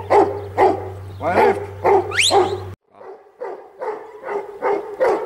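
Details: Huntaway giving loud, deep barks at an uneven pace, with a brief rising whistle. After an abrupt cut, quieter and more distant barks continue.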